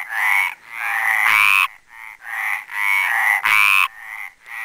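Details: Male Mediterranean tree frog croaking at the Planxista pond, Les Preses, Garrotxa: long, buzzy, harmonic croaks, two louder ones about two seconds apart, with other frogs' softer croaks overlapping between them.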